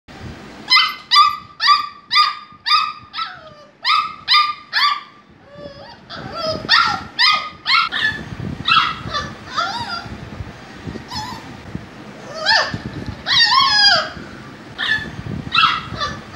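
An English Cocker Spaniel puppy gives rapid, high, whiny yips, then squeaky whimpers of varying pitch.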